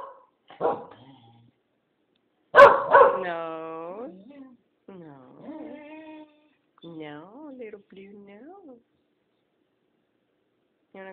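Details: Blue, a pet Keeshond responding to being asked if she wants to go outside, gives a sharp bark, then one loud bark followed by long rising-and-falling whining howls, with a woman's voice talking to her.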